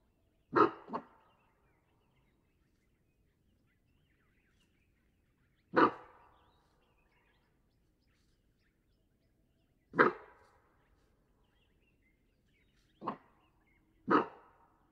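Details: Cape bushbuck in the Waterberg Biosphere Reserve, South Africa, gives sharp, explosive, dog-like alarm barks spaced several seconds apart, calls mostly given in response to a nearby threat such as a predator.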